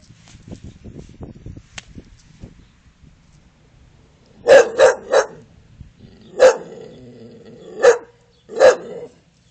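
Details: An English Bull Terrier barks and growls on command as a playful trick, tail wagging happily; after a quiet, rumbling start it gives a series of deep, loud barks.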